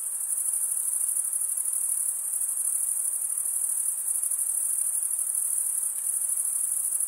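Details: Stridulating male crickets keep up a constant, piercing, high trill with a fine rapid pulse, level in loudness from start to end, and no birds, wind or voices behind it.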